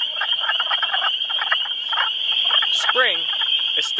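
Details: Early-spring breeding chorus of wood frogs at a vernal pool, frogs mating in amplexus: bursts of low clucking croaks under a continuous piping wall of spring peepers, with a brief falling whistled call near the end.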